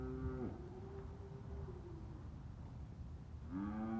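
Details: Red Angus bull mooing: a long, low, harmonic bellow that ends early on, then a fresh rising moo starting near the end, with low background rumble between the calls.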